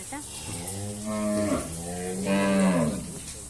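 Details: Sick calf with lumpy skin disease, undergoing treatment, trembling; two hoarse, harmonic moos, the first short, the second longer and louder with a rising then falling tone, while a person's voice and faint music are in the background.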